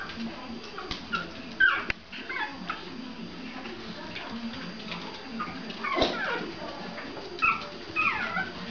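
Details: Pomeranian puppies, about one and a half months old from a litter, playing with their mother indoors, give scattered short high yips and squeaks amid soft rustling and thumps, with brief louder yelps near the start and end.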